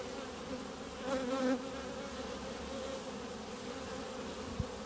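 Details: A steady low buzz from a clump of honey bees on the grass before the hives. About a second in, one bee sweeps close and the hum swells. A brief low thump comes near the end.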